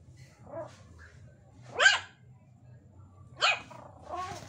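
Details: Chihuahua dogs kept as pets, playing indoors at home: two sharp high yapping barks about one and a half seconds apart, with softer whining yelps before and after, over a low steady background hum.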